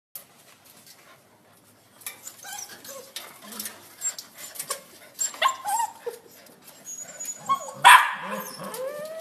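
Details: Dog giving a string of high, curving whimpers and squeaky yelps that start after two seconds and grow louder, ending in a sharp, bright cry near the eighth second.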